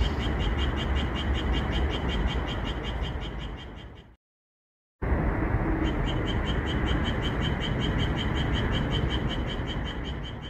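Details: Japanese tree frogs singing at night under calm moonlight in a red pepper field, edited so they call more: a steady run of rapid, evenly pulsed croaks, about four a second, over a low rumbling background, broken by one short silent gap.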